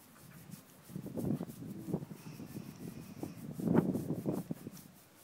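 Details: Horse snoring while wanting a scratch: two low, rough, breathy rumbles about two and a half seconds apart, with softer rustling between them.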